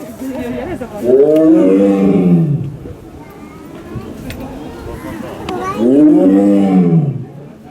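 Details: Captive male Amur tiger at Asahiyama Zoo, Japan, born in the USA in 2009, giving two powerful roars about five seconds apart, each a deep arching bellow with a rising then falling pitch lasting over a second; faint background chatter between them.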